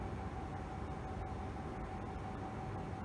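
Only a steady low mechanical rumble with a faint hum is heard, like vehicle or train noise, and no animal calls.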